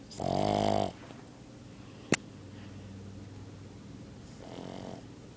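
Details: Dog snoring in its sleep indoors: a loud rasping snore, a sharp click midway, then a softer, fainter snore a few seconds later.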